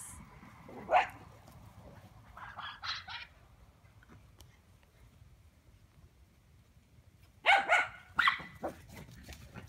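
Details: Lowchen or Cane Corso named Gracie Lou running in freshly cut grass on a break from her puppies; a sharp bark near the start, a quieter double yip, then a burst of three quick barks near the end over faint outdoor background.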